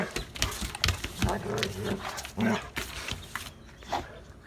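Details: Two dogs, a male and a female described as a bonded pair in love, with the male submitting to her, trade low, rumbling harmonic growl-like vocalisations in short bursts, mixed with thumps and rustling.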